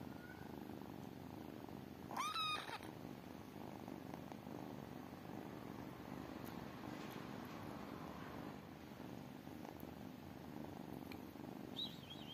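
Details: Tiny kittens purring: a steady low rumbling purr runs through the whole stretch, with a brief high mewing squeak near the start and another faint one at the very end.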